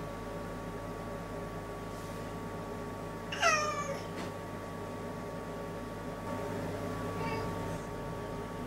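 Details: House cat pacing busily to and fro before a toilet, uttering one loud descending meow near the middle, followed later by a faint softer meow, with constant low indoor hum and light rustling.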